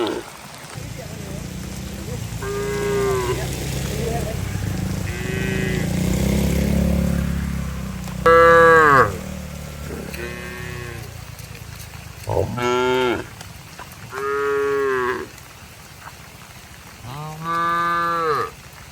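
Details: Cattle driven home to their shed through heavy rain in the countryside; after a stretch of rumbling noise, a run of short, bleating moos comes every two seconds or so, with steady rain hiss in the background.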